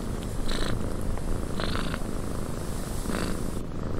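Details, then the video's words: Cat purring in a cabin on a windy day, a quieter low vibrating drone beneath airy wind noise, with brief brighter whooshing bursts about every one to two seconds. "Cat Purring in a Windy Cabin 8 Hours of Blissful Purring"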